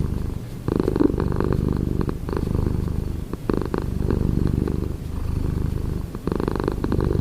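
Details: Domestic cat purring in the morning indoors: a steady, low rumbling purr with a rhythmic pulse, briefly broken by short pauses and soft breathy interruptions near the start and middle.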